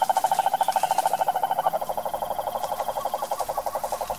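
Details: Wild cururu toad of the Brazilian sertão giving a steady buzzing trill of evenly spaced rapid pulses, loudest at the start and continuing unbroken throughout.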